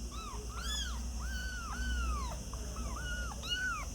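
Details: Several kittens mewing, with thin arched cries overlapping and following closely, some long and drawn out, others short, over a strong low rumble in the background.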